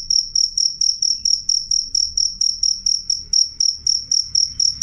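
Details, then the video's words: Clear, loud cricket song made of shrill, buzzy chirps that rise sharply and fade, spaced evenly about three per second. A gentle low-pitched room hum runs beneath. "suara jangkrik jernih keras"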